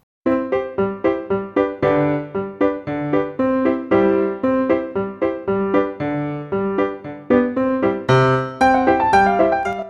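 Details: Bright keyboard music with steady plucked-sounding notes plays throughout, with no animal voice.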